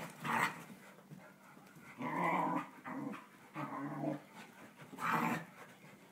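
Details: Pet dogs Teddy and Alma indoors, one ducking under a futon; four drawn-out, warbling growls, each about a second long, rising and falling in a talky way, separated by quieter gaps.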